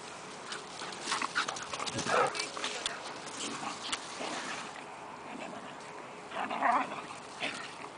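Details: A rescue dog waiting for adoption at an animal welfare home gives short, noisy vocal bursts around two and seven seconds, with quieter murmurs between them over a steady background hum and faint human voices.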